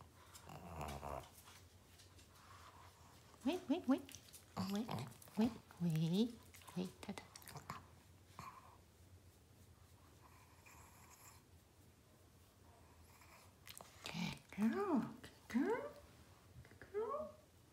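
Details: Two aging Shih Tzus indoors during eye cleaning with an eye wash, giving short rising-and-falling whiny vocal sounds in scattered bursts with long quiet gaps, mixed with a person talking in a small room.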